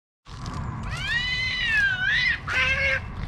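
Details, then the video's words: Cat fight breaking out in a park; a long, loud, harmonic yowl that bends up then down, followed by a harsh spitting burst, with rumbling noise underneath. "Cats can be surprisingly cruel"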